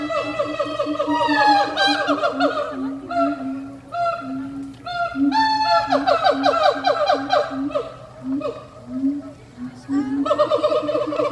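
A monkey calls over and over with reedy, wavering hoots, some sliding up into thin squeals and others dropping back down. The notes come in uneven bursts, with a steady low drone running beneath them.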